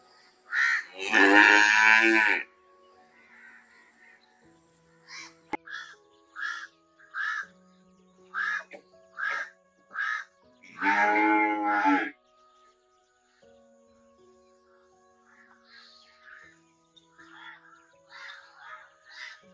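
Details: Two long, full-throated cow moos about ten seconds apart, with a steady series of short, harsh crow caws filling the gap between them and continuing quietly afterwards.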